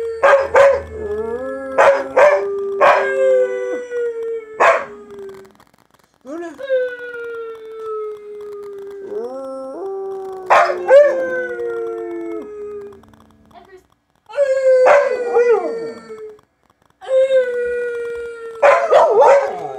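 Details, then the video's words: Siberian Huskies in a pet pack, one named Luna, howling together: long drawn-out howls that slide gently downward, overlapping voices rising and falling in bursts separated by short pauses, with a few sharp yips between them. "Husky Barking: Level 3 Howls"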